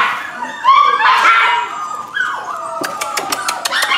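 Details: Rescue pups said to be a Corgi Airedale mix: a burst of loud, high rising whines, then softer whimpers and a run of short, sharp yips toward the end.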